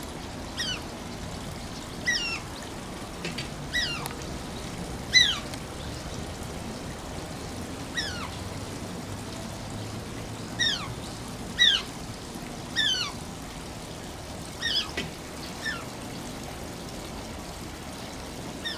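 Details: An Asian small-clawed otter at Oji Zoo gives cute, high, squeaky whines that slide downward, repeated every second or two over running water, near the zoo's closing time.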